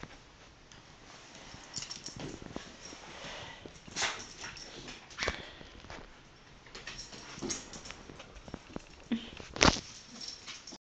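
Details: A female Basenji greets her owner's mother, whom she adores, with eager, high whimpers, short yips and snuffling breaths in uneven bursts, super excited; a woman speaks warmly over the dog's noises.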